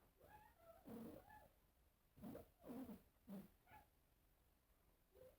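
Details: Cats facing a mirror make rapid, overlapping moaning meows and growly calls, about six bursts in quick succession, rising and falling in pitch, ending with a short soft call.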